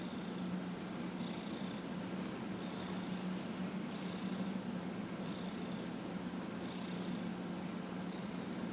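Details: Dillard the cat, 15 and a half years old, purrs as he is massaged on January 31, 2018; the low, unbroken purr carries on beneath soft, regular brushing strokes about every second and a half.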